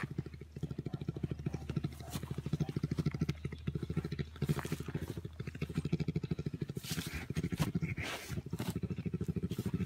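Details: A brown bear purrs while playing with its carer, a deep, fast, throbbing rumble that runs steadily on and on.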